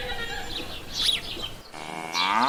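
A cow's deep, rich moo swells up near the end, after a few brief chirpy sounds.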